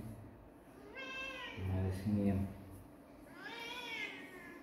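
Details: Kitten meowing twice, each call a harmonic-rich mew that rises then falls, the second longer and brighter; low human voices and thumping overlap the gap between them indoors.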